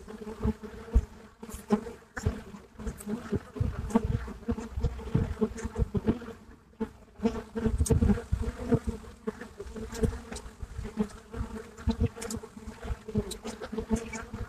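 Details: Live recording of Buckfast honeybees crowding the entrance of their hive in Brittany, France: a rich, continuous low buzz of many bees with steady hum bands and repeated surges as bees fly close by.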